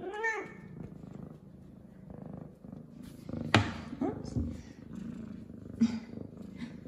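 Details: Clean and excited after her morning shower, F2 Savannah cat Zara opens with a short arched meow, then settles into a soft purr; a sharp click and a woman's voice interrupt the middle of the recording, indoors.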